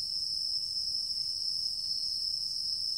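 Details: Singing insects in a mixed woodland, Tokyo, recorded September 11, 2023: a steady, unbroken high-pitched trill with a fainter shimmering layer above it; no other voices stand out.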